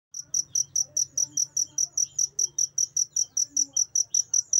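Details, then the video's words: Cricket recorded as tutor material for training pet songbirds: a steady series of high, sharp chirps repeated about two and a half times per second at an even pace, with a faint low hum underneath. "Suara Jangkrik"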